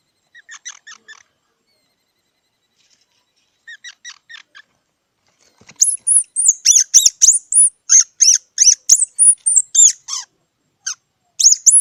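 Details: Squirrel giving soft runs of quick pulsed chatter, then a long, loud series of sharp, very high, sliding squeaks repeated several times a second, with brief pauses.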